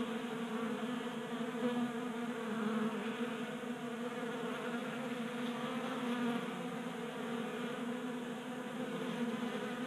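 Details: Honey bees swarm a 3D-printed feeder on a workbench in a Colorado garage, active in January during a late warm spell; continuous droning hum from many wings, rich layered buzz rising and falling gently in loudness.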